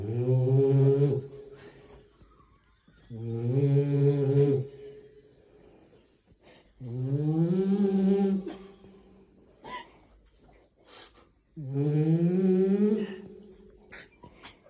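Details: French Bulldog snoring into a microphone: four long, loud, harmonic rasping snores, each lasting one to two seconds, roughly every four seconds, with quiet breathing gaps between.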